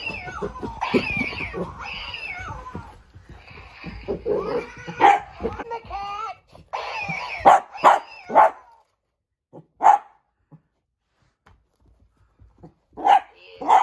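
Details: Female miniature dachshund playing with an old toy: repeating electronic-sounding whines and wails at first, then sharp single barks spaced out across the quieter second half, with long silent gaps between them.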